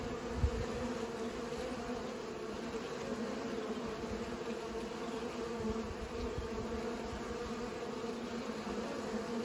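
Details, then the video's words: Bees buzzing while pollinating: a steady, droning hum that holds a low, even pitch throughout, with small fluctuations in intensity and a brief louder bump near the start. "Bees pollinate"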